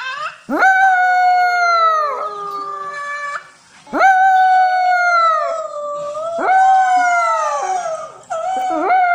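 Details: French poodle puppy howling while watching videos indoors; long sustained tonal howls with rich harmonics, three drawn-out cries each starting with a sharp rising onset then holding steady before breaking off.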